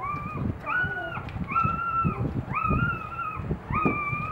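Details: Boxer puppies two days old during a morning feeding with their mother: long steady whines, flat and slightly arched, repeated about once a second, with soft low rustling beneath.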